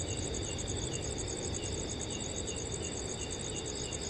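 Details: Crickets trill in steady high-pitched pulses over a low rush of wind through the trees in a forest on a cool summer night.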